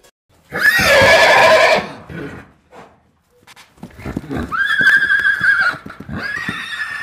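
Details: Horse neighing twice: a loud, shrill, quavering whinny lasting over a second, a short pause, then a second drawn-out whinny with a steady tone that trails off. A child's voice may blend with the later part.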